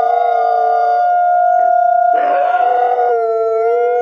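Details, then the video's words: Captive-born gray wolves at a wolf conservation center in South Salem, New York, howl together to reaffirm social bonds. Steady, sustained, overlapping tones with a rougher burst midway, and one voice slides lower near the end. "Sometimes Wolves Sing Just to Make Music, as We Do"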